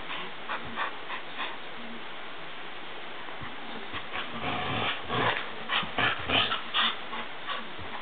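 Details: A Border Collie playing tug-of-war gives short, rough growls and whiny huffs in quick bursts; recorded 3 May 2012.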